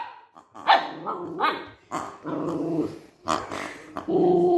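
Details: Maltese dog named Cookie, frightened by a new toy while playing with it for the first time, mixes rough growls with short yelping barks, ending in a sustained whining growl.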